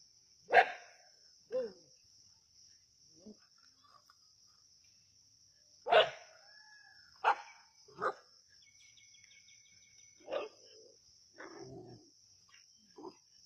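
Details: At Keezhadi, native village dogs hunting a snake: barks scattered over several seconds, some loud and harsh, others shorter and softer. The barks come irregularly, about every one to two seconds, over a constant thin high whine.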